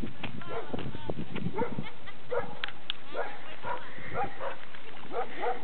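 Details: Pet Labrador Retriever barking, short harmonic barks repeated several times over a few seconds, mixed with a person talking nearby; loud, clipped recording.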